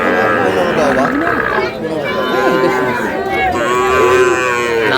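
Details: Sahiwal bull calves at a cattle market where a farmer from Dhaka is buying, 27 April: drawn-out, wavering moos, several overlapping, with loud market crowd chatter and men talking throughout.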